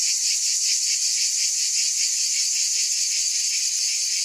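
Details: Cicada buzz, bright and unbroken, pulsing rapidly in a grainy shimmer at a steady level over a few seconds.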